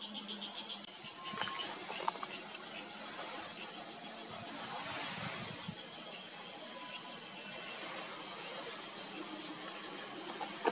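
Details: Cicada in a Himalayan oak forest sanctuary in Uttarakhand, India, recorded in September 2023, its call reverberating through mountain forests: a steady high buzzing drone running unbroken throughout, with faint scattered chirps and low rustling beneath.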